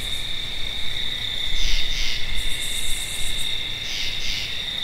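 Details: Two paired grating notes from a treefrog, separated by about three seconds, over a steady piercing insect drone.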